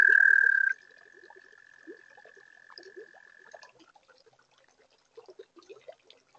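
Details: Spring night chorus of toads at a garden pond: a loud trill cuts off after a moment, a softer even trill carries on for about three seconds, and scattered low croaks and chirps from other toads continue.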